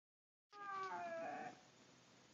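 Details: Siberian Husky, a pet dog, singing for another dog indoors: a brief tonal howl of about one second with stacked harmonics, wavering then dipping slightly, before falling quiet.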